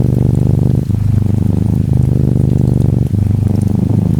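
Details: An orange tabby Norwegian Forest Cat kitten lies curled up, purring steadily: a low, rumbling, pulsed purr broken by short pauses about every second as it breathes, over soft gentle rain.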